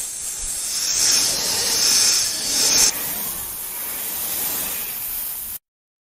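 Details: Sustained hissing of a cobra, a bright sputtering breath-like noise swelling in slow pulses, a sudden jump in tone midway, then stopping dead for the last half second.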